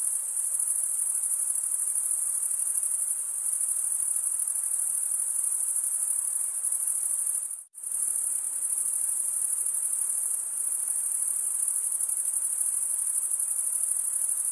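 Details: Continuous high-pitched cricket stridulation, a dense shimmering trill, cut by a sudden near-silent gap of about half a second around the midpoint before the steady chorus returns.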